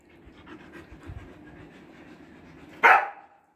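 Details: Siberian Husky, body-trimmed for summer, in Kolkata heat, India: soft breathy panting pulses, about four a second, run for over two seconds before a sudden loud, sharp burst near the end.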